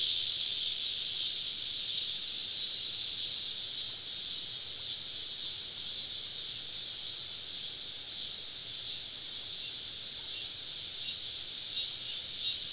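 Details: On a summer evening deep in southern woodland, a cicada chorus keeps up a steady, hissing high whine that swells and fades slightly, with no other clear sounds.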